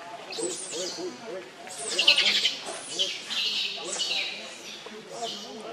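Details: Baby monkey Leo, very hungry, cries for its mother's milk in piercing high screeches that fall in pitch, coming in rapid irregular bouts, while faint lower voices murmur in the background.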